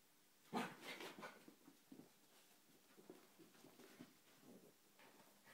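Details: A female Yorkshire Terrier going crazy opens with a loud, sharp, high yap, then an uneven string of quieter, whiny barks, sounding small and excitable in a room.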